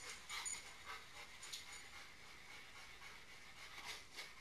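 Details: Snow-soaked dogs inside a house after running in from the open back door; quick rhythmic huffing pants, roughly every half second, with a faint constant whine in the background.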